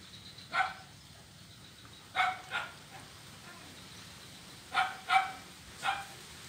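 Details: On a wooden ulin bridge in Kuala Kapuas, Central Kalimantan, a blind kitten at play on 25 November 2019 gives short, clipped mews in loose pairs, six in all, separated by quiet stretches of faint outdoor background.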